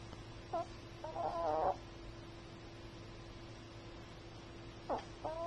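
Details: Sleeping Chihuahua snoring: a short nasal snort, then a longer buzzy, wavering snore with whistly overtones, and after a long pause another snore begins. A steady low electrical hum runs throughout.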